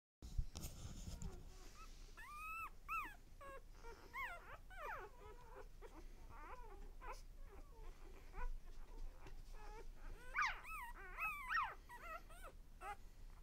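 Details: A litter of one-day-old puppies squealing and whimpering indoors: thin, arched, whining cries in rapid overlapping bursts, some rising then falling, with brief pauses and soft shuffling between them.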